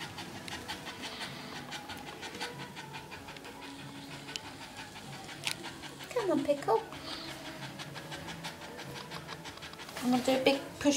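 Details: Rosie, a red Staffordshire Bull Terrier bitch, in labour in her whelping pen with her first pup, breathing in rapid rhythmic pants. Brief high squeaky sounds cut in twice, over low indoor background noise.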